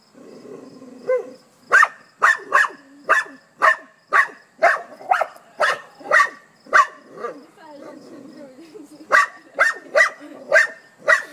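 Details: Dog barking at a hedgehog: a run of sharp, loud barks, about two per second, with a short pause midway before the barking resumes.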